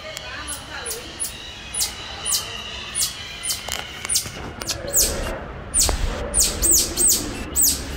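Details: Captive cotton-top tamarin at Franklin Park Zoo: shrill, high-pitched chirps, short whistled notes at first, then quick downward-sliding sweeps that grow louder and more frequent over eight seconds, with faint room noise beneath.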